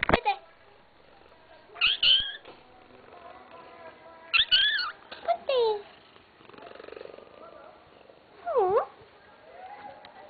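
A Burmese cat gives short, high, chirpy calls that sound almost bird-like.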